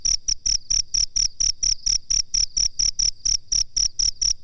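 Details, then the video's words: A cricket's high, piercing chirps for bird-training master audio, pulsing steadily about four times a second, with a muffled low beat under every chirp. "suara jangkrik masteran terbaru"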